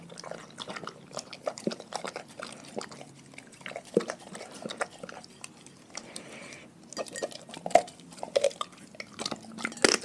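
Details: Pack of dogs eating a raw food diet: irregular sharp crunches and wet smacking clicks, clustered in bursts with brief quieter gaps, louder snaps near the end, indoors.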